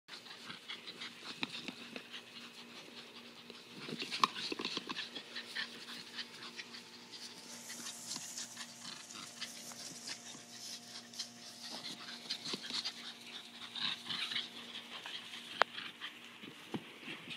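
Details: Border collie panting while playing with a borderjack indoors, a rapid breathy hiss with scattered clicks and knocks of movement and a faint steady hum in the background.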